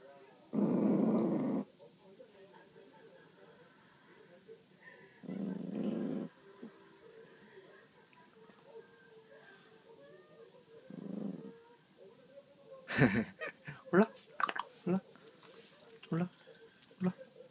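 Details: Pet dog guarding a pork trotter bone from another dog indoors, giving three separate low, harsh growls spaced several seconds apart, with a person then talking in Korean and clattering noises.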